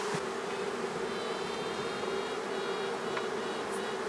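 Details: A honey bee (Apis mellifera) swarm being collected in swarm season hums in a dense, steady drone, with faint high tones above it that the beekeeper takes for the queen's high-pitched piping.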